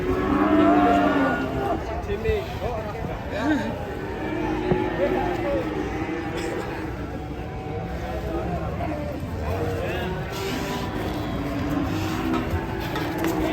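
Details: Angry cattle led on a long rope in Indonesia give low, sustained moos, loudest at the start, then fainter drawn-out lows under steady chatter from onlookers and background noise.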